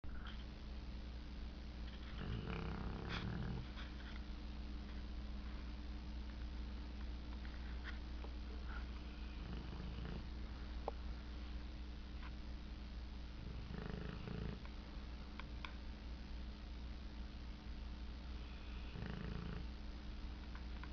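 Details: Dog sleeping and dreaming, snoring in soft, low, breathy bursts that recur roughly every five to six seconds over a steady indoor hum.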